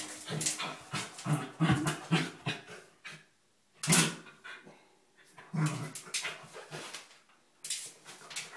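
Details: A Corgi playing and digging in a bathtub gives short, throaty grumbles and whiny yelps in quick clusters, with scratchy, hollow claw scraping on the tub echoing in a small room.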